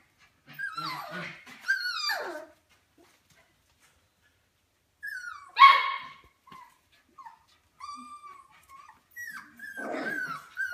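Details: Golden Mountain Doodle puppies, four weeks old, the litter of Bella and Halas, giving high whines and yelps that slide downward, coming in short bursts separated by silent gaps, with one louder squealing cry near the middle.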